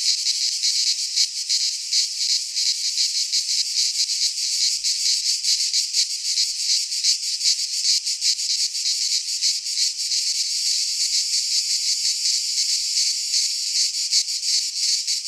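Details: Midsummer cicada chorus from a pine forest in Greece, a continuous high rasping drone with fast, irregular shimmering pulses throughout, steady in loudness, with faint low rumbles in the background.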